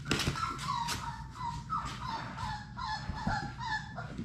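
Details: Six Labrador Retriever puppies playing together in an indoor puppy play room, giving high whimpering squeals and yips with wavering tones, overlapping and repeated through the clip over a low background hum.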